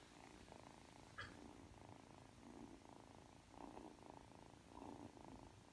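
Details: Ragdoll kitten Aki, three months old, purring while kneading on the way to sleep; a continuous soft purr swelling and easing in waves, with a single faint click early on.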